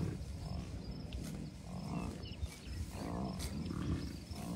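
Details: Wild bison herd with cows, bulls and many calves at a Colorado wildlife refuge near Denver, early June 2022; several low, throaty grunts a second or so apart, each a brief resonant rumble, with steady wind rumble throughout.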